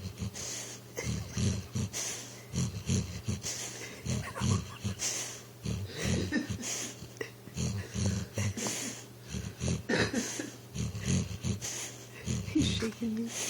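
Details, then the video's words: Recchi, a pit bull asleep and dreaming on a couch, trying to run in his sleep: rapid low huffing snorts and wheezy breaths in quick uneven bursts, with a faint rustle of fabric underneath. "Snoring pitbull tries to run in his dream"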